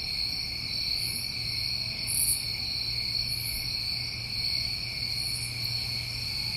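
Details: Crickets on a New England summer night, a dense chorus of steady, unbroken high trilling in two bands, with soft higher buzzy bursts from other insects breaking in every second or so.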